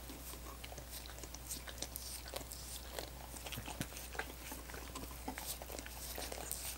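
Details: Dogs licking frozen coconut water popsicles: wet, smacking laps and small crunches come in an irregular, rapid patter, several per second, over a steady low hum.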